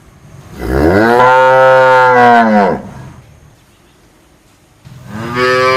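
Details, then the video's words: Cow mooing: a long, loud, rich low moo rising at the start, holding steady for about two seconds and dropping away, then a pause and the beginning of a second moo. "Tiếng con bò kêu ỤM BÒ/ The sound of a cow mooing"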